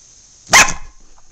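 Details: Female terrier guarding her bone gives a single sharp, loud bark in a quiet room, right after a person asks about the bone.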